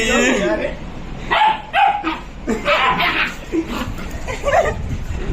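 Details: Leon and Alester, a pair of Labrador Retrievers, in a cute play fight, give several sharp barks in quick succession, mixed with people talking and laughing nearby.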